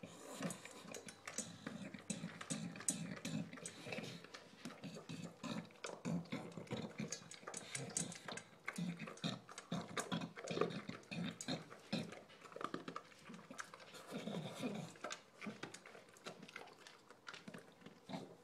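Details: English bulldog named Shaft, recently adopted, eating dinner indoors in a small room; dense rapid clicking and smacking bursts with low snorting breaths running continuously throughout.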